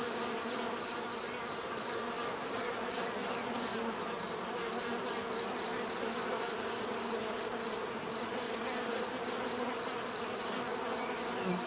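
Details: Bees humming in a dense, unbroken buzz, slightly pulsing in loudness, with a bright high whine running over the low droning tones.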